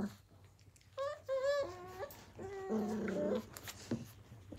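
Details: Australian Cattle Dog puppies, Blue Heelers from the Willow and Tory litters of 2020, playing indoors; a few high whining yelps with sliding pitch, then a lower drawn-out whimper, against a steady low hum.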